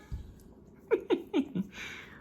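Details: Juno, a male Siberian Husky who rarely barks, indoors at peanut butter time: four short, tonal barks in quick succession, roughly a quarter second apart, followed by a soft breathy rush of noise.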